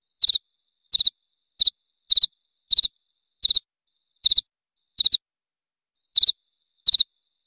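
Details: Cricket sounding triple-pulsed high chirps, somewhat irregularly spaced, with a brief longer gap before the last few; quiet background.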